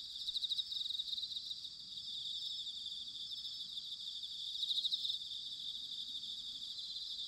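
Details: Bell crickets singing in autumn, recorded in Sanuki, Chiba, Japan on a ZOOM H6 or TASCAM DR-05X: a dense high chorus of pulsed trills, with a louder ringing burst near the start and another around five seconds.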